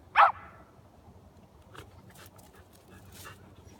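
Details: Willie the corgi lets out a single quick yip-like bark while being urged to climb down, followed by a long stretch of soft rustling and faint background noise.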